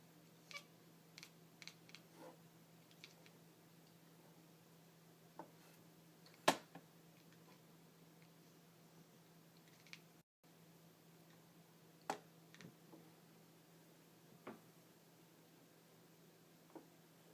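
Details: Indoor house cat, a female, worked up by light reflections or a laser dot on the walls, making sparse quick clicky chirps and ticks at uneven intervals, one sharper burst midway, with a constant low hum beneath.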